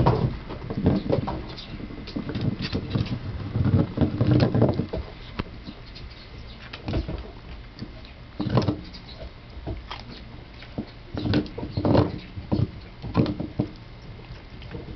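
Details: A Basset Hound chews gum, making wet, irregular clicks and smacking mouth noises.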